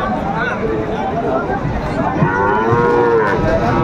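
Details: Sahiwal bull calves at a livestock market, recorded 30 June 2024 as a Pabna farmer buys: a drawn-out, tonal moo with stacked harmonics slides gently in the second half, over a bed of crowd murmur and bargaining voices.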